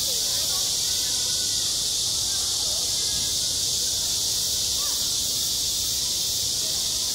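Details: Cicadas singing at a school playground in midsummer: a steady, loud, hissing drone fills the high range without pause, with faint distant voices murmuring underneath.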